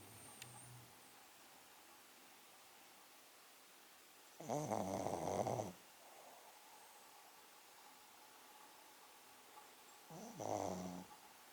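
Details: Pekingese Poko sleeping comfortably and snoring loudly in a manly way: two rough, rumbling snore bursts, the first about a second long and the second shorter, with quiet stillness between them.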